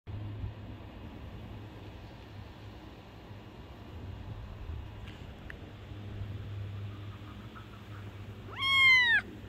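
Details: A male Scottish Fold cat gives one short, high meow that rises and falls, after a long steady hum.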